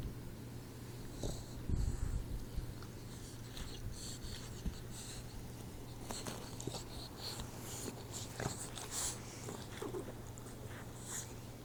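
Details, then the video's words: Troy, a 4-month-old Boxer puppy, snoring while asleep indoors: soft wheezy, snorting breaths with airy hissing bursts recurring roughly every second over a steady low hum. "Snoring Boxer Puppy"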